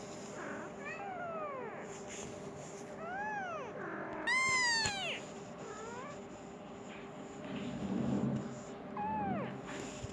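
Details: Hungry Persian kitten calling for its mother, indoors; a series of thin, bending meows of varied length, one loud long cry in the middle, softer short mews around it, over a faint hum and brief rustling.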